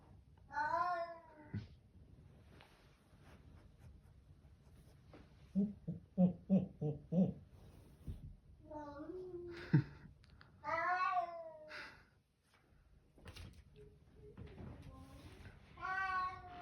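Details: Indoor Bengal cat giving a few long, wavering meows among stretches of a child talking, plus a short burst of rapid thumping knocks in the middle.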